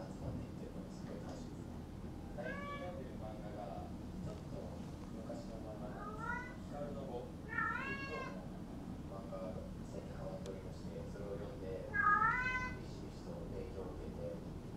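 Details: Silver female Maine Coon kept at a Tokyo breeding cattery meows four times, clear drawn-out mews that bend up then down, spaced a few seconds apart, with soft human speech and indoor hum underneath.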